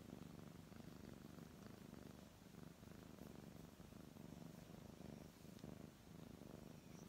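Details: Purring of a brown tabby house cat as it is petted, a soft, deep, even rumble pulsing in steady cycles of inhale and exhale, low in level with light rubbing noises in the background.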